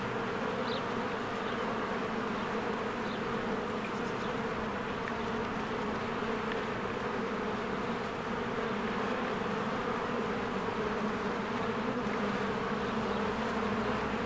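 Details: A spring beehive busy with bees coming and going gives a thick, constant buzzing hum. A few faint, brief high chirps rise now and then above the steady drone.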